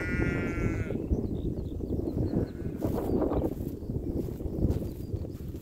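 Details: Sheep grazing with cows on a meadow beside a lake; a single wavering, harmonic bleat in the first second, followed by steady low rumbling background noise and faint chirps.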